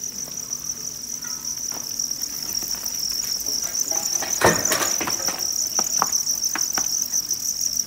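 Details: A mass of field crickets on a cricket farm in Nam Định and Hà Nội, Vietnam, gives a sustained high ringing chorus, broken around midway by a loud bang and several sharp clicks from handling.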